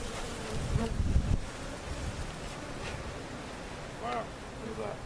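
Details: Honey bees from a cutout hive being placed in their permanent location at Jerome Bee Farm, Central Oklahoma, filmed on a Sony camcorder; a dense low droning hum of many bees, with brief harmonic human voice sounds near the end.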